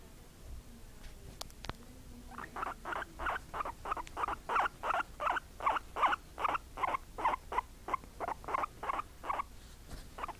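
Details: Two pet guinea pigs, a white mother and her brown daughter, kept indoors; after a quiet start with a few clicks, a steady run of short, squeaky chirps repeats about three times a second for eight seconds.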